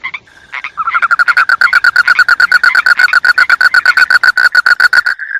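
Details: Frog giving a long, rapid pulsed trill, about five notes per second, steady and even for several seconds after a couple of brief introductory notes.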